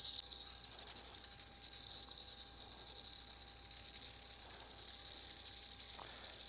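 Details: Eastern diamondback rattlesnake rattling continuously while being handled: a steady, dry, high-pitched sizzling buzz that fills the whole stretch without pause, with a faint thin tonal hum underneath.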